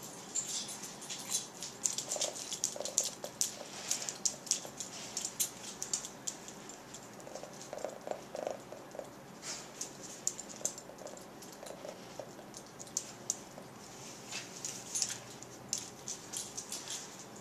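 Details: Cat named Penny clicking her jaws together on 26 November 2010, an eerie, alien-like sound; dry, rapid clicks come in irregular bursts throughout, quiet and close, with no other clear sounds.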